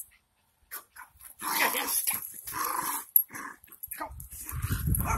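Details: Two pet Jack Russell Terriers playing rough indoors, a rowdy romp: low grumbling growls and scuffling bursts, with a person egging them on and soft speech between.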